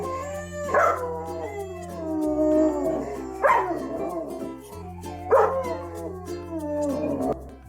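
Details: Dog whining, which can express anxiety, fear or pain. Drawn-out tonal whines sweep and waver, with sharper rising cries about every two and a half seconds, accompanied by background music.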